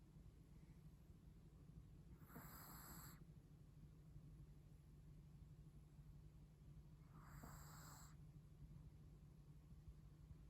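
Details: A Chihuahua sleeping very comfortably snores: two breathy, snorting bursts arrive about five seconds apart, each with a hissing upper edge, over a steady low hum in a quiet room.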